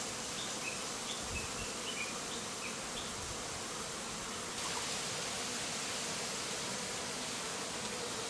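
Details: Smoke from a nearby bonfire, about 10 m away, sets kept Japanese honey bees whirling around the hive entrance. A broad, constant buzz fills the clip, with small high chirps early on and a louder hiss from midway.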